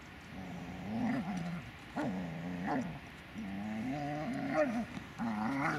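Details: Magmar Von Der Burgstätte, a Dobermann, makes low, moaning growl-whimpers in repeated bursts about a second long, with short pauses between them, over a steady background hum.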